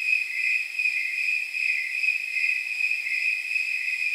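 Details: Snowy tree crickets on a warm night near 79 degrees, their jingle-bell chirps repeating at regular intervals as one unbroken high-pitched pulsing drone, with no other noise.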